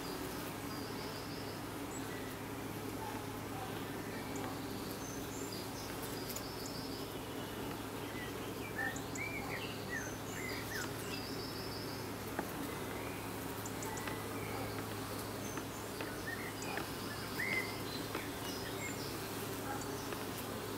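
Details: At a hive entrance in the evening, honey bees fan with an unbroken low buzz and layered harmonics, while small birds chirp and twitter repeatedly in the background.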